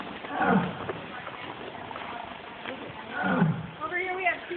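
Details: Tigers roaring at EFRC, recorded on an Android phone: two low, throaty roaring bursts, one near the start and another around three seconds in, with people talking in the background.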